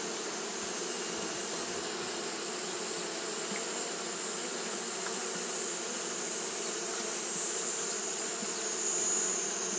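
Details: Continuous humming drone from Japanese honey bees fanning through a hot day. The tone is even and many-layered with slight wavering in strength, and a steady high-pitched hiss runs beneath it.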